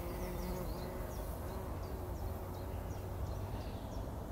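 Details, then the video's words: Bumblebees rolling in poppy blossoms early in the morning before sunrise, 2019: a steady low droning hum with faint tonal bands, while small birds chirp briefly and high in the background. "Hummeln wälzen sich in der Mohnblüte – summend wird das Pollenbad angenommen"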